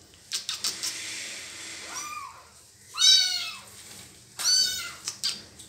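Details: Kitten being bitten by its mother cat meows for help: three strained, arching meows in quick succession, the middle one loudest, with soft scuffles and taps between them.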